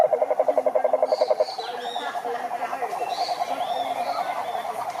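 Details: Several frogs calling together in a pond: a dense, rapid chorus of pulsed notes around a steady mid pitch, one loud fast pulsing caller in the first second and a half, softer overlapping trills after, with faint higher chirps above.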